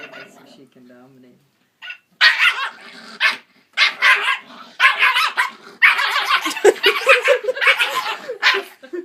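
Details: Puppy that hates a singing Santa toy dog playing jingle bells, barking at it: a soft low murmur at first, then loud rough barks in rapid irregular runs, with a woman's excited voice mixed in.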